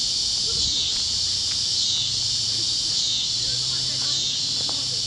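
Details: Sunset over Kansas fields, cicadas chirping among other critters; an unbroken sizzling high buzz dominates, with faint low tonal hums and a few brief clicks underneath.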